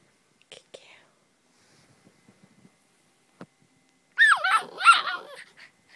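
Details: Female Siberian husky crying at home for an unknown reason; after faint, quiet speech, a loud wavering whine-howl bends up and down in pitch for about a second and a half near the end.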